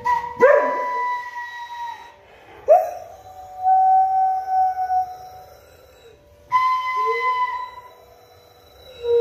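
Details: Dobermann howling as if singing: long, drawn-out tonal howls, each starting with a sharp rise and then holding a steady pitch, in three phrases separated by brief pauses.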